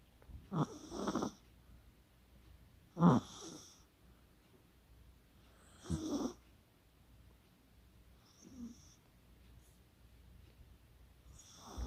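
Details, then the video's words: Chihuahua named Kaka snoring while asleep, recorded 24 October 2020 with a poodle named Coco also present; low rasping breaths repeat roughly every three seconds, with soft quieter gaps between them. "코골이의 주인공은 치와와 카카"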